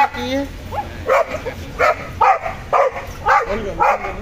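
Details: Household German Shepherd and Boxer: a run of short, sharp barks, about six in four seconds, spaced roughly two thirds of a second apart, with a low steady hum underneath.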